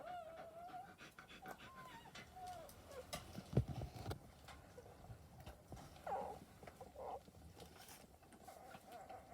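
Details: A litter of 11 newborn wire-haired dachshund puppies, just born, give thin, wavering squeaks and whimpers over a low rustling background.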